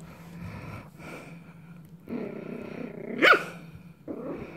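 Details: A dog named Coco growls low and rumbling for about a second, then lets out one sharp bark, with a further short growl after; soft background hum and voices around.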